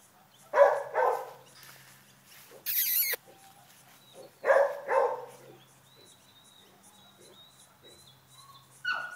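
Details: Great Dane named Rosie, having fun running around after one week; two pairs of short, sharp barks come near the start and again midway, with a loud rustling burst between them and quiet room sounds.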